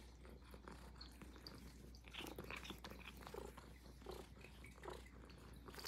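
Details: Puff, a Highland Lynx cat, purring indoors while being woken up: a soft, rough, pulsing purr that swells and fades, mixed with close rustling and clicking sounds in a quiet room.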